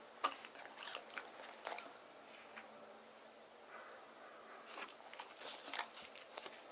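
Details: Deokgu, a male white terrier born 19 April 2018, eats cool watermelon on a hot summer day indoors. Soft, scattered crunches and wet bites come in short bursts with quiet pauses between them.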